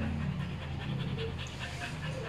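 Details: Two Border Collies courting each other, heard as fast rhythmic breathy panting bursts several times a second over a steady low hum, with faint speech in the background.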